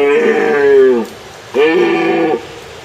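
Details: Red deer (Cervus elaphus) stag gives two drawn-out, moaning roars, each falling in pitch at the end, during the autumn rut in early September, announcing his presence on his territory to hinds.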